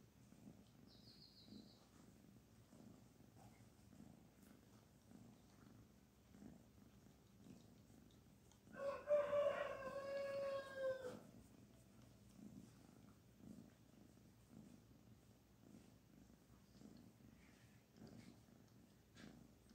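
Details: Petted kitten Barfi keeps up a quiet, regular purring throb while a rooster's loud drawn-out crow breaks in midway for about two seconds.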